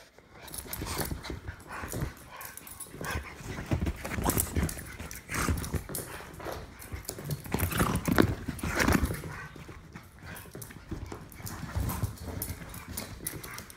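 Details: Two dogs, a Jack Russell Terrier mutt and an English Bulldog, in a long play-fight; continuous low growling and snuffling rises and falls, with steady scuffling, bumping and panting throughout.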